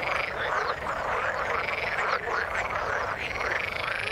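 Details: Frogs calling in the water, a dense overlapping chorus of rough croaks and chirps between mid and high pitch, steady throughout with no gaps or other sounds.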